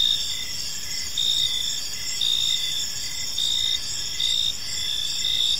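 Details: Evening in a quiet park, where a chorus of crickets keeps up a shrill, continuous chirping, swelling in short bursts about once a second over a soft background hiss.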